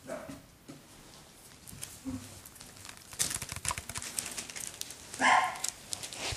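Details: Seven-week-old Parson Russell Terrier puppies indoors: faint short whines early on, then one sharp, high yelp near the end, set against steady rustling, crinkling and scuffling.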